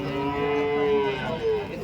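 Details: Cattle at a cow market in Chalisgaon, India, on a Saturday, 23 March: a single long, steady moo held for over a second, then a shorter rising second moo, with background market noise.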